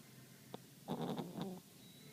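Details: Romi, a pet dog, snoring while asleep indoors: a faint click, then a rough, breathy burst of about three-quarters of a second with rapid pulsing, fading back to quiet room hiss.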